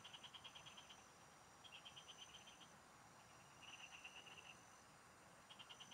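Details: Field frogs singing near a fishing spot: loud rattling trains of rapid pulses, each about a second long, alternate with short pauses against a constant high-pitched hum and faint hiss.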